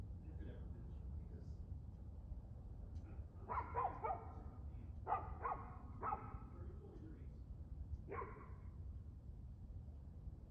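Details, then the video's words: A dog barks in short bursts, one near 3.5 seconds, then more around 5, 6 and 8 seconds, over a steady low rumble of background noise; recorded 2/6/2024 at 6:02pm. "Barking Dog"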